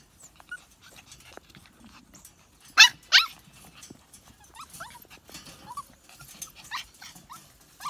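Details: Siberian Husky puppies, seven weeks old, make scattered thin squeaks and short whines, with two louder breathy bursts near the middle, over soft scuffling.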